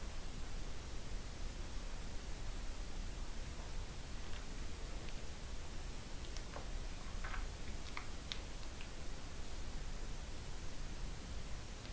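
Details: Steady hiss of room noise with a few faint ticks and rustles; no animal sound is heard.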